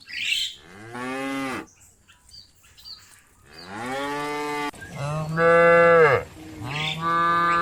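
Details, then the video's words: Cows herded by shepherds toward the farm pen, lowing with long, rich harmonic moos that rise and then drop at the end, two loud drawn-out calls near the close, several animals calling. "Funny Cow Sounds"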